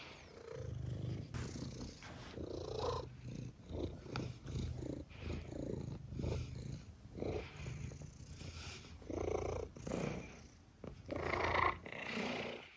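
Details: Domestic cat purring steadily, a low rumbling drone throughout, broken by short mews and scattered noises of handling and movement.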